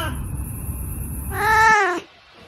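An Oriental Shorthair cat gives a single clear, tonal meow that bends downward at the end.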